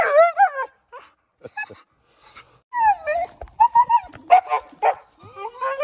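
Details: Siberian Husky named Balto, a pet dog, impatient and nervous about going to the park and insisting on going down first: loud harmonic whines and yodelling howls that bend up and down in short bursts with brief pauses, and a person speaking briefly.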